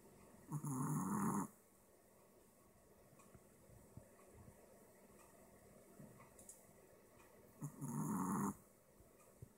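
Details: Apple Head Chihuahua, a dog with a shorter snout than its Deer Head siblings, snoring while asleep: two loud, rough, rumbling snores about seven seconds apart, each lasting roughly a second, with quiet breathing between.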